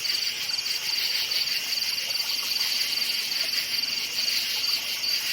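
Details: Night forest crickets chirp in short, evenly spaced high pulses, roughly several per second, forming a clear rhythmic beat over a background insect chorus.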